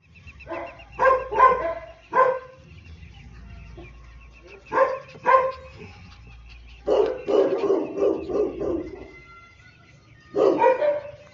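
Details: Labrador puppy from Karnal, Haryana, offered for sale, giving short barks in bursts: a pair of yaps near the start, another pair midway, then a rapid run of several barks and a final loud bark, with a faint steady background hum.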